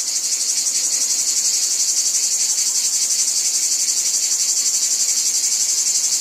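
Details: Cicada chorus over a wheat field, loud and shrill, throbbing in very regular quick pulses about four times a second, constant and even from start to finish.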